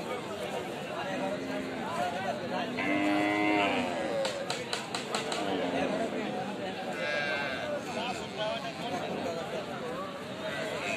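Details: Calves mooing in a compilation of funny baby cow scenes: drawn-out harmonic moos, one long rising-and-falling call near the middle, with people chattering and talking in the background.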